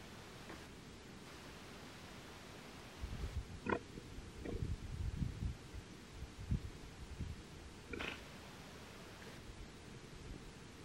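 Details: Giant otter. Giant otters sound the alarm with abrupt, low, pig-like snorts and huffs, some with a sharper, brighter edge. The calls come in uneven clusters against a constant rushing hiss.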